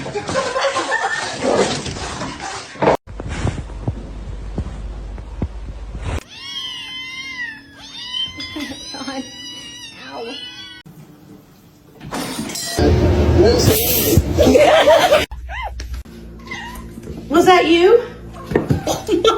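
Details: Domestic cats in a funny compilation: a run of loud, wavering, harmonic yowls and cries repeated about three times a second, between stretches of people talking, laughter and scene changes.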